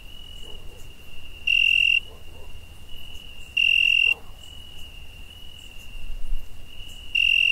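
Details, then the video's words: A cricket on a summer night trills in a thin, even, high tone, swelling into three brief loud ringing bursts, with faint soft scratchy sounds and a low background murmur. "Cricket Noise"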